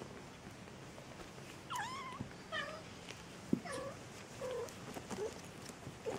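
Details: Maine Coons at a Saint Petersburg cattery in Russia give a string of brief chirping meows, some falling and some rising, roughly every half to one second, with a sharp click midway and soft room noise behind.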